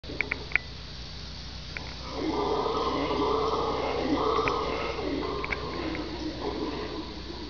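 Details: Red howler monkey (Alouatta seniculus), howl.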